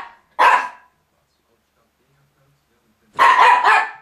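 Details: Miniature Pinscher chasing another dog off a rug indoors, December 2009: two short harsh barks, one single and then a doubled burst about three seconds later, with silence between.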